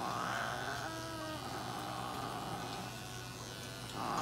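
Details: Norwegian Forest cat Konechan during treatment at a Nagoya veterinary clinic, with light therapy, nail clipping, paw-pad fur trimming and anal gland expression; drawn-out high yowls open and close the clip over a steady electric clipper buzz and hum.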